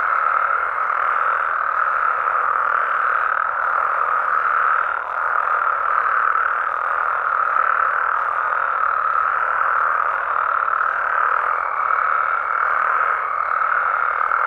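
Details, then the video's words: Frogs and toads of Mexico calling at night in their natural habitat: a dense, unbroken chorus of mid-pitched croaking trills that never pauses, with a faint thin steady tone entering near the end and soft high ticking overhead. "Mexican Frogs & Toads Sounds"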